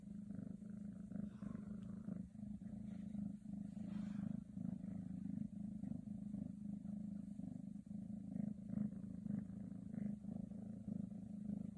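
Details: Scottish Straight cat with a black silver coat gives a long, even purr, low and throbbing in a quick regular beat, with light rustling and small clicking noises in the background.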